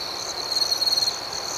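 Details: Nighttime crickets: a constant high, thin trill with a louder, rapidly pulsing burst of chirps in the middle, then back to the even background chorus.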